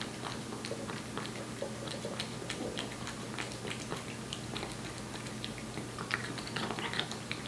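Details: Aeppi, a one-year-old Korean Shorthair cat born July 2018, eats wet food with gusto indoors: a steady run of soft wet smacks and sharp chewing clicks, irregular and close, over a faint low room hum.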